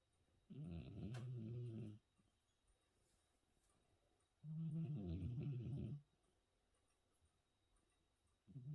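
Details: A 14-year-old cat in deep sleep after New Year's Eve snores in steady, throaty rumbles. Each breath lasts about one and a half seconds and returns roughly every four seconds, with near silence in between.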